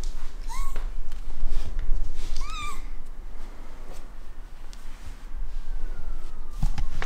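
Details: Fluffy rescue cat indoors giving two short, upward-curving chirpy meows early on, the second slightly longer, followed by quieter rustling and handling noises in a small room.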